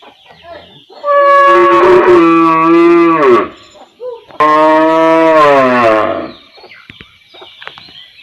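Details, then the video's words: Cow recorded in a village area, giving two long, loud moos of about two seconds each, harmonic and low, the second ending in a falling slide; faint bird chirps in the background between calls. "Cow Sound Effects Mooing Mooing"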